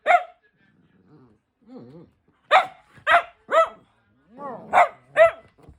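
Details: Tricolor Cavalier King Charles Spaniel named Louis Philipp, a family dog in Munich, Germany, gives loud sharp barks in irregular clusters, mixed with softer whining, rising-then-falling whimpers between them.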